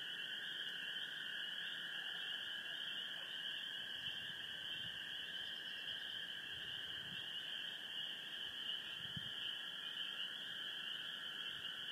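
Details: On a full-moon night in Sheboygan County, Wisconsin, a dense chorus of gray treefrogs trilling and spring peepers giving high, piercing peeps.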